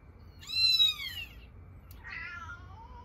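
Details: Domestic cat meowing indoors, in a scene about a cat's maternal instinct bursting out at the sound of a kitten's meowing: two high, drawn-out meows, the first louder and falling at its end, the second softer and descending, with quiet room hum.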